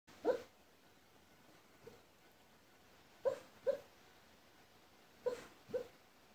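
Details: Shikoku dog talking in its sleep, recorded 28 April 2017: soft, muffled short yips and woofs, mostly in pairs, about six over several seconds, separated by quiet pauses with faint background hiss.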